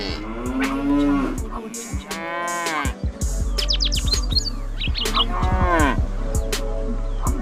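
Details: Cow at a farm lowing in several deep, arching moos separated by short gaps, with a burst of quick high chirps from a small bird between calls and a steady low hum throughout.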